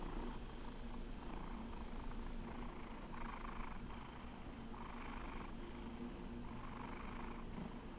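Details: Alex, a rescue cat, purrs steadily: low even rumble with regular breathy pulses roughly every 1.2 seconds, inhale and exhale audible as soft hiss.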